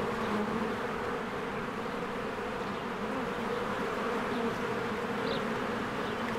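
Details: Honeybees swarming in and out of their hive in spring, with flowers blooming: a dense, steady buzzing drone from many bees, continuous and unbroken throughout, with a faint higher chirp near the end.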